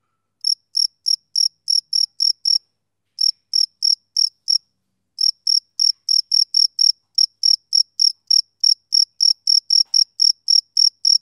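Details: Rhythmic chirping of a male cricket on a summer evening, high pulses repeated about three or four times a second in runs broken by brief gaps, no other sounds.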